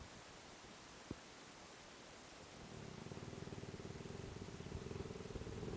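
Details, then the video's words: Kiyu, a Tosa dog, snoring loudly while asleep indoors, a habit it lacked when young, beside a sleeping mastiff and standard bull terrier; quiet at first, then a low rhythmic rattling snore starts midway and keeps pulsing steadily. "いびき きゆ君"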